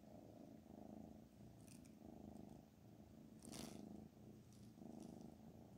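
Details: Black Panther the cat purrs in slow swelling waves, roughly 44 per minute, following its breathing; the rumble stays low and steady, with a brief rustle near the middle.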